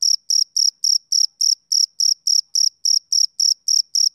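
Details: ['A male cricket chirps rhythmically, about 15 clipped high trills in just over four seconds, regular as a metronome, with nothing else audible behind it.']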